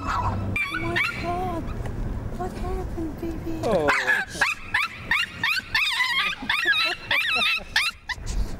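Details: Little Maltese freaking out on seeing another dog: squeaky whines and whimpers at first, then a frantic run of sharp high yapping barks, several per second, with a voice speaking briefly.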